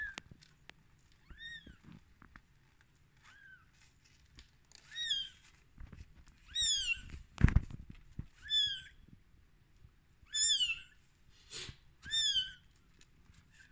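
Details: Tiny rescued kittens at day 13 cry in bright, downward-sweeping mews, singly and in quick pairs, several seconds apart at first then more often, with a sharp click or knock partway through.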